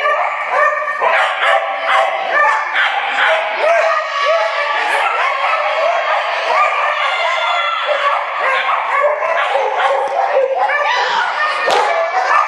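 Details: Excited dogs at an April 2011 flyball relay race in Dover, New Hampshire, barking and yipping nonstop in a reverberant arena, with many overlapping voices and human shouting or speech underneath.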